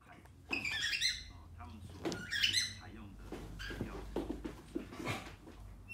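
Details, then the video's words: Deaf rescue dog, special-needs, finally finding his voice again while playing with his owner: two high, harmonic yelping barks about a second and a half apart, followed by soft human voices and scuffling play noises indoors. "Rescue dog finally finding his voice again while playing with his Daddy!"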